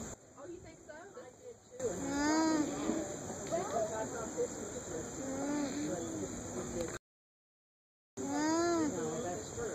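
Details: A young alpaca alone at a farmer's market hums in soft, nasal tones that rise and fall, calling to another alpaca in a nearby pen, over heavy background noise.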